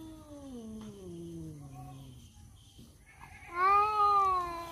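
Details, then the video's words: Male domestic cats fighting over a female: a long descending drawn-out yowl with harmonics, a short pause, then a louder rising-and-falling wail near the end. "suara kucing berantem rebutan janda"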